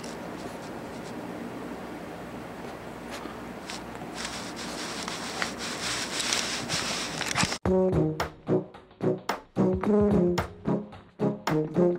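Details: A steady wash of broadband noise fills the first part, then cuts abruptly to a run of short, low, brassy tones like a trombone or horn. No animal call stands out from the music.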